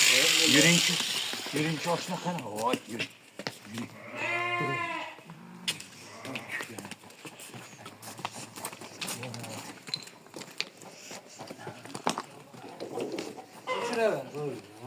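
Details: Sheep during shearing gives one loud, quavering bleat about four seconds in, rich in stacked harmonics. Human talk runs throughout, with scattered clicks and clattering from the shearing work.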